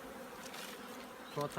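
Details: Honey bees at an apiary getting ready for winter give a soft, even droning hum, ending with a short louder burst of rattling noise.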